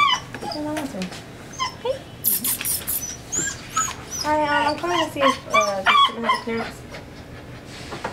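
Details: Wallace, a pet Old English Sheepdog, vocalizes to tell his owners what is on his mind. A run of short, tonal, wavering whines and yips rises and falls quickly in the middle. Music and human speech sound underneath.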